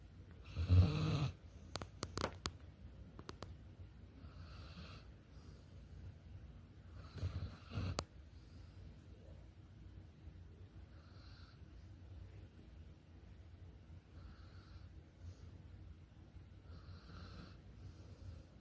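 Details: Sprawled-out Bernedoodle puppy snoring, two louder rumbling snores about seven seconds apart with a few sharp clicks between, then soft, steady low breathing sounds continuing in a quiet room.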